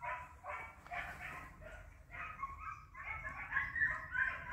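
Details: Trio of hounds hunting hare, the hare flushed and in sight, giving rapid, irregular bursts of harmonic baying, several voices overlapping in quick yelps and bays with little pause.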